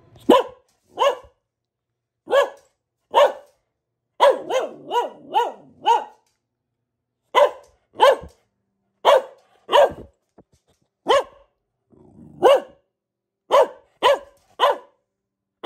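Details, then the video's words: A female Boxer barks insistently at home, single sharp barks alternating with rapid clustered volleys, plus a brief low growly sound near the end; quiet between barks. "Relaxing Barking from our Dog - Luna the Boxer"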